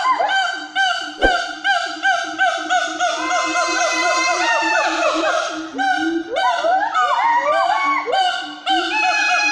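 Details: Sumatran siamang calling: a rapid, pulsing run of loud upward-sweeping whoops rich in overtones, swelling into a dense burst, then resuming in quick rising hoots.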